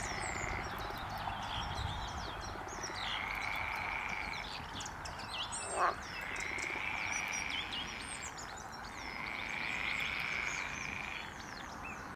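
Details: A non-native colony of edible frogs at RSPB Pagham Harbour nature reserve calls together in a chorus of drawn-out, rattling croaks lasting a few seconds each.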